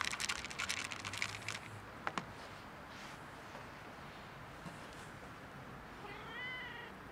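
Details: Two same-coloured cats quarrelling over food: a burst of sharp clicks and crunching opens, then after quiet hiss one drawn-out, wavering meow rises and falls near the end over steady background noise.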